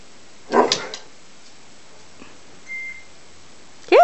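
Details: A Greater Swiss Mountain Dog puppy meets another dog that wants to play, indoors. There is one short, loud yipping bark burst early on, then near silence. A rising whine cuts in at the very end.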